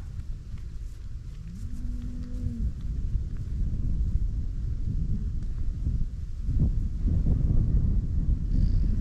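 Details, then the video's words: Grazing cows in a Dutch farmland field in the Netherlands; a single lowing moo rises briefly, then holds level for about a second before fading, set against steady wind and low rumbling background noise. "COWS MOOING AND GRAZING IN A DUTCH FIELD"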